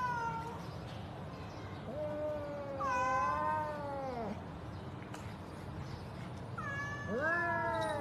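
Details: Domestic cat meowing repeatedly in long, drawn-out cries that slide downward in pitch, some near-overlapping and wavering, with steady low background noise.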